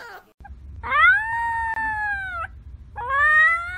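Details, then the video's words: ['Young puppy howling: a drawn-out tonal wail that rises, holds steady and sags slightly over nearly two seconds, then starts again, over a low background rumble.'] "Cute Puppies Howling"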